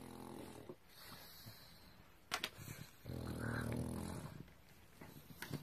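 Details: Kai, an angry pug whose snack was taken by another pug, Rui, indoors in a small room, gives a low rumbling growl, swelling in the middle, with a few sharp clicks and knocks around it.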